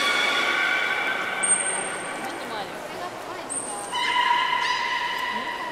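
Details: Captive belugas Nana and Hodoi at Port of Nagoya Public Aquarium, Japan, 11 August 2018, during a pool transfer that ran out of time; long flat harmonic tones, two high thin squeals, then a steady buzzy tone.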